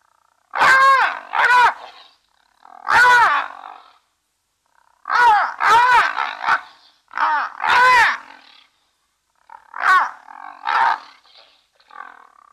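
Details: Three brown hyenas at a waterhole webcam at Safarihoek Lodge, northern Namibia savannah bordering Etosha National Park; loud, harsh, harmonic calls in bursts of one or two, roughly every two seconds, with brief silences between.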